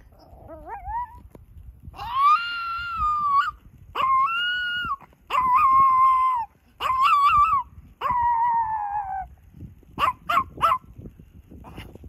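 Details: Buddy, a male Chihuahua, howls on command outdoors among mountains after a long walk: six drawn-out, wavering, high harmonic howls lasting about a second each, then three quick short yelps near the end, with quiet pauses between.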